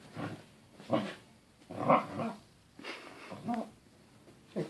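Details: A Corgi gives a string of low, throaty, hoarse grumbles and groans ("Wookie noises") while playing, each rising and falling, spaced irregularly about once a second, in a small indoor room.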